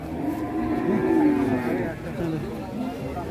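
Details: Raging cattle from a compilation of angry cows give a deep, drawn-out moo that swells in the middle and then fades. The low voiced tone carries stacked harmonics, with people talking in the background.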